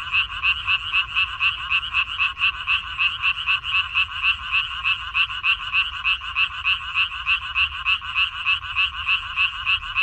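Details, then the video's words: Croaking frogs in a water-parsley field, 14 May 2021: a continuous chorus of harsh, pulsed calls, about three to four beats a second, evenly sustained throughout with a soft low hum underneath. "고향 생각 나게 해주는 개구리 소리, 미나리밭의 그놈들, Croaks of Frogs, Sounds of frogs, Song of frogs"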